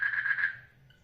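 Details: Frog calling in a water lily pond during mating, a short burst of rapid pulsed croaks lasting about half a second, then fading to quiet.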